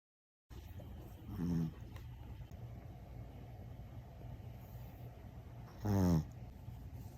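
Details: Quiet snoring from a pet dog of a household with a pug and a Boston terrier, described as a modest snore today: two short buzzy, rattling low snorts near 1.5 and 6 seconds over a steady low hum.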